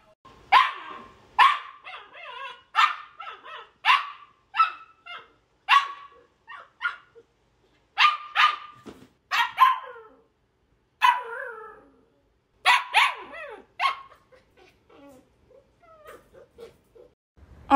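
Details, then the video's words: Aria, a female pet Samoyed, barks in a compilation of her talkative moments: a series of sharp, high, clipped barks in quick bursts of two or three, with short gaps between, then a few softer yips near the end; light music in the background. "Samoyed Barking and Howling Compilation"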